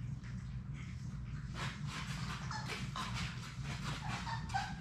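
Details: A litter of six Labrador Retriever puppies plays in an indoor play room: scattered thin squeaks and brief whines come after a quiet start, amid pattering scuffles and a low steady hum.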